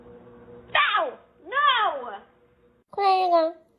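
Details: Cat in a funny cats and kittens compilation: three clear, arched meows, each rising then falling, the last one steadier and slightly lower, separated by short pauses in a quiet room.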